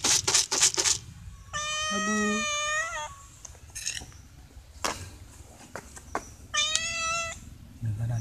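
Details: Stray cats begging for food, meowing at a person who regularly brings them dry food; two long, level harmonic meows, with a man speaking briefly and some clicks and rustling.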